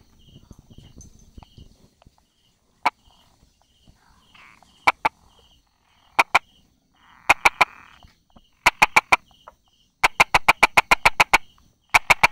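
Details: Brauer's tree frog calling from among rock crevices and small grass on 22 July 2016, 10:44. Single dry clicks at first, then rapid runs of crisp tapping notes, with the last bursts running to eight or more clicks. A soft pulsing buzz runs in the background.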